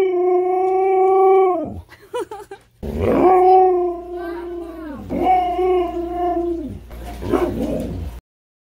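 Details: Indoors, Manson the Siberian husky argues with long, steady, mournful howls, each held for about one to two seconds, broken by short yips and gravelly grumbles, in a sustained back-and-forth vocal protest.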